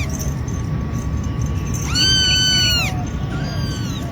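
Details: Cat giving a single clear, drawn-out meow that arches up and then down, lasting under a second, followed by a fainter short call, over steady low rumbling background noise.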